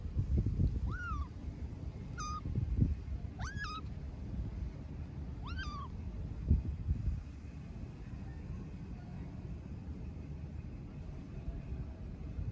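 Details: Street kitten in Istanbul crying out for its mother cat: four clear, high, bent meows in the first six seconds, each rising then dropping, followed by quieter outdoor rumble with occasional thumps.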